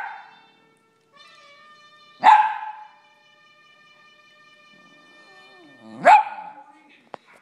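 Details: Dogs responding to a television theme song, giving two separate strong barks several seconds apart over held musical notes, with a brief click near the end.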